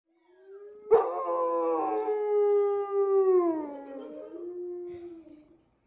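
An Alaskan Malamute gives a long, wavering howl that holds steady, then slides lower and fades.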